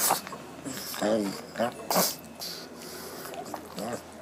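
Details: Lotte, a hungry pug, making happy sounds at her meal: short nasal snorts and voiced, grunting bursts roughly once a second, with breathy, sneeze-like puffs between them.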